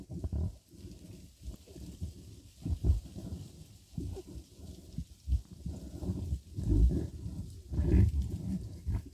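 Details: A badger in a scuffle makes low, irregular grunts and growls, roughly one burst per second. A few grunts are louder than the rest, against steady rumbling noise.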